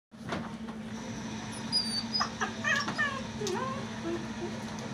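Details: Doberman puppy giving a few short, thin, high whines and whimpers clustered midway, some rising then falling, over a steady low hum and soft background noise.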